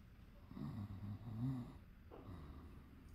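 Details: A pinscher sleeping indoors snores softly, a low rumbling breath rising and fading over a few seconds.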